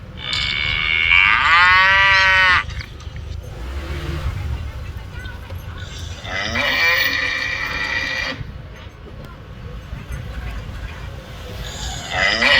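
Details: Cows recorded in Phnom Penh, Cambodia: a loud, drawn-out harmonic moo near the start, a second long moo with a rising tail midway, and a brief call at the end, over steady low rumble and background noise.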